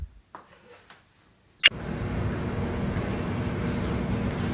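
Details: A brief quiet stretch with faint knocks, a sharp click, then steady broadband rumbling noise like a running engine or fan.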